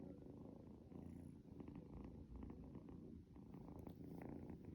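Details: Young pet kitten nicknamed Gen Pi Chong (little shadow), waking its owner each morning indoors, purring steadily: a low, continuous rumbling throb with soft rhythmic pulses and faint rustling from movement.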